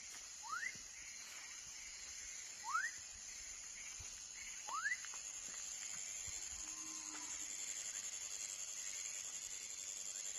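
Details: Three loud upward-swooping whistles from a baby frog, spaced about two seconds apart, then quieter, with a steady high-pitched insect drone throughout.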